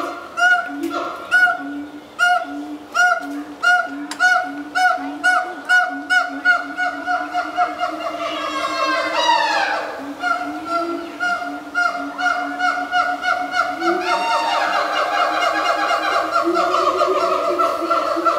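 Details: A pair of captive siamangs at a zoo sing together in a morning chorus, loud honking barks building into rising, swooping whoops and shrieks. Their large throat sacs inflate as they call.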